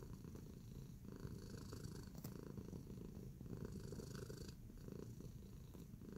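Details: Domestic cat Tacy, kneading in a relaxing mood, gives a soft continuous rumbling purr, steady in loudness, broken only by a sharp tap or two.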